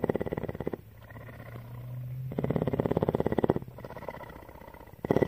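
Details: Tawney, a female cougar (mountain lion) living at CARE in Bridgeport, Texas, purring: loud rhythmic pulsed bursts alternating with softer, quieter stretches, one with a low steady hum, pulses running about three to four per second.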